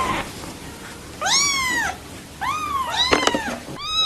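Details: Newborn kittens mewing: three drawn-out, bending harmonic cries about a second apart, some overlapping, with clicks and light background hiss.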